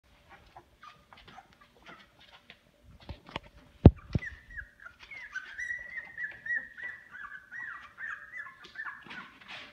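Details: Two-week-old Boykin Spaniel puppies, described as running and barking, in a pool. Soft thumps and scuffles lead into a long, thin, high whine that wavers up and down and keeps going almost without a break.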